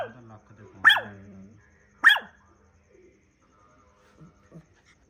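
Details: Dog giving two sharp, loud barks about a second apart, with a human voice heard at the start and faint soft sounds afterward.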